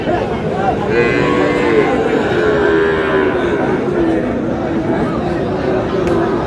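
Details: Sahiwal bull calves for sale at Aftabganj market, Dinajpur, 8 August: drawn-out, wavering moos under steady human talk and crowd noise.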